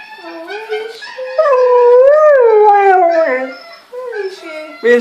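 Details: A male Siberian Husky howls in long, wavering, rising and falling tones while watching a recording of himself mating with a female; the owner suspects he misses her. A person speaks nearby.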